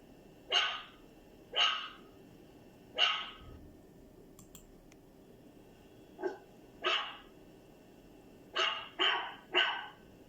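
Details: Dog giving loud, sharp barks in uneven bursts: three spaced about a second apart, a pause with faint clicks, then single barks and a fast run of three at the end.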